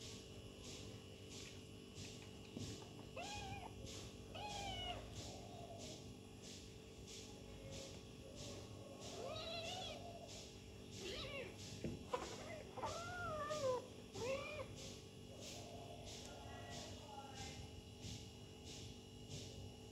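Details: Kitten playing with its mother, with a scattering of soft, high, wavering meows through the middle. The meows are set against a steady hum and regular faint ticking.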